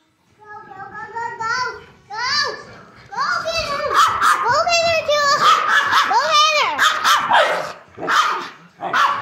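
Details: Bullmastiff puppy Tua, 11 weeks old, playing with the kids indoors; high, yelping barks with arched, rising-then-falling tones come in quick bursts of three or four, mixed with children's chatter and squeals.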